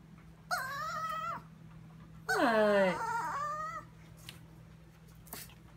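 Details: Chihuahua named Sophia in a kitchen at 2am, whining while staring at something: two drawn-out, tonal, nasal whines, the second louder and longer with a dipping start, over a steady low indoor hum.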